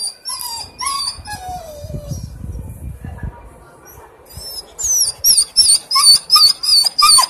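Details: Berry, a pet dog, crying: thin, high-pitched whines with rustling and handling noise in the middle, then rapid squeaky whimpers repeated about three times a second toward the end.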